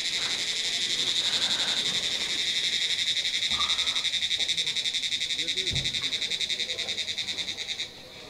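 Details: Loud shrill trill of a cricket in roadside pine forest near Dow Hill, Kurseong: a continuous high buzzing pulsed in a fast even rhythm, several beats per second, fading abruptly at the end.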